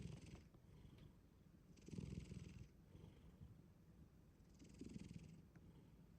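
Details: Black cat named Shin-chan deep asleep, giving a steady low purring rumble of breath with two louder, harsher snoring swells about three seconds apart.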